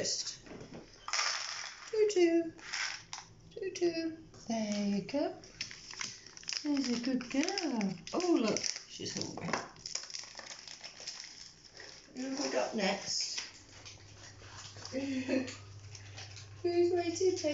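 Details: Rescue cats indoors at breakfast time, several calling together: a run of arched, rising-then-falling meows repeated every second or two, overlapping one another, with clatter of dishes in a small room.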